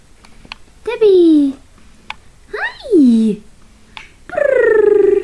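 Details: Papillon puppies whining indoors: three loud, clear cries, each starting high and sliding downward in a drawn-out whimper, the last one long and wavering, with soft clicks and rustles between them.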